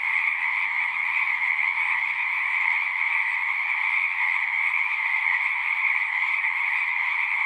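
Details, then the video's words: Massed frog song, an even, ringing trill from many callers blended into a seamless high drone, steady in loudness, with only a faint low rumble underneath. "One hour of singing frogs."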